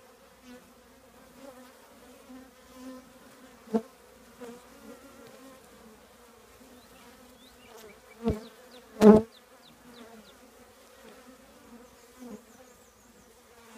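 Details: Honey bees from a colony in an old trash can hum in two clear tonal bands, with sharp loud buzzes as bees zip past close by, strongest near eight and nine seconds.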